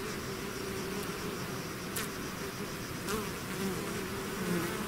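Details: Bees swarming out of their hive produce a steady, thick droning buzz, low and even, with a couple of short bright whooshes as individual insects fly past near the microphone.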